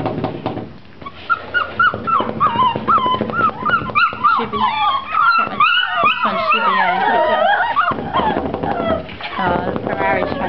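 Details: Puppies aged seven weeks whimpering and yipping in an indoor pen, a dense chorus of high, quavering whines that bend up and down, several pups at once, rapid and continuous, with people talking nearby.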